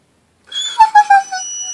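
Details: Bacio, a three-year-old male Labrador–Great Pyrenees mix, unhappy at wearing a cone after femoral head ostectomy surgery, lets out a high, drawn-out whine breaking into three pulsing, slightly falling notes indoors.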